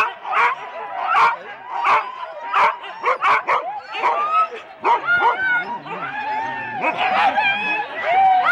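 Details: Four-dog Husky teams at a sled race start, Rendlesham, January 2016, recorded on analogue cassette: bursts of barking and high, wavering whines, with human voices mixed into the din.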